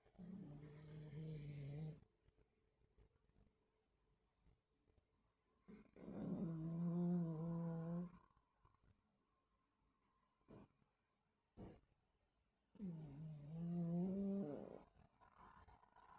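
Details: Sleeping dogs snore and dream indoors on 26 August 2024: three low, voiced groaning snores of about two seconds each, their wavering harmonic tones rising slightly, repeated roughly every five to six seconds with quiet breathing between.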